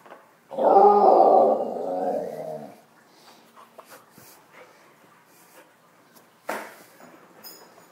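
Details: Shadow, a dog, roars indoors in a loft while fetching and chasing her toy: one long, loud, harmonic growling roar lasting about two seconds, followed by quieter scuffling and clattering of play and a sharp knock.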